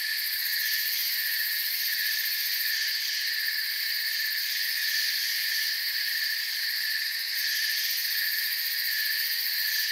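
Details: Crickets in a forest chorus. A steady, unbroken shrill trill hums in several high bands with no pauses, and no other sounds are heard.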